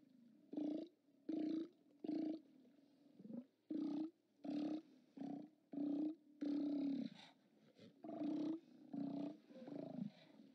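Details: Steller sea lions at a haulout on 29 October 2017, seen on a live cam: a series of about a dozen short, hoarse, low roars, each under a second, coming in a loose irregular run with brief pauses between them.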